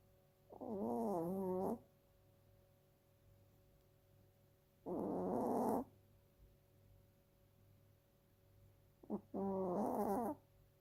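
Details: Two-year-old female Chiweenie asleep and snoring: three harmonic, slightly wavering snores with a nasal whistle, each about one second long and spaced four to five seconds apart, with a faint constant room hum between breaths.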